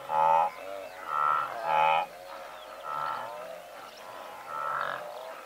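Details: Honking, nasal grunts from a herd of several hundred blue wildebeest at medium close range, repeated unevenly about every second, loud bursts alternating with quieter overlapping calls from further animals.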